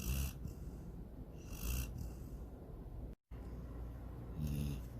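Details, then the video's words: Sydney, a female pet dog, snoring while dreaming of chasing a rabbit and swimming in a lake; low rumbling breaths with soft hissing exhales, plus a brief dropout midway. "My SNORING DOG SYDNEY!"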